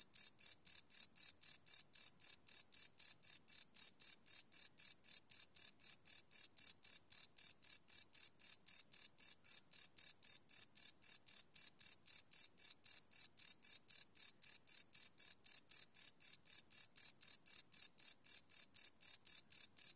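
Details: Live, unlooped night recording of crickets on a Sony PCM D100: an unbroken series of sharp high chirps, evenly spaced at about four per second, with nothing else audible.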